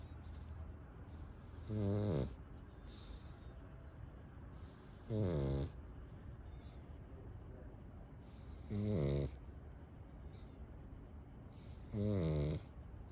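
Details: A Pug sleeping with a toy duck in its arms snores four times, rough low snorting pulses spaced about three and a half seconds apart, quiet in between.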